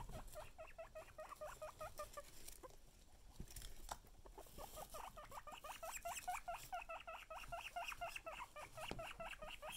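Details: Guinea pig teased with food, giving long bursts of rapid rising squeaks that repeat several times a second, briefly pausing then resuming in a steady insistent train, with light rustling and clicks behind.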